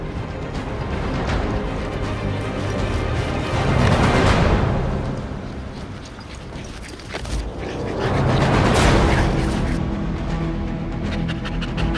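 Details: Loud music with booming swells and two sweeping whooshes, dense and continuous, with no clear animal sound.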